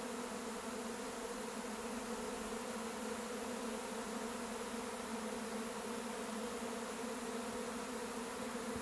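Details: Many honey bees of a swarm lifting off from their hive together, a continuous thick buzz with layered humming tones, unbroken and level for nearly nine seconds, nothing else clearly heard.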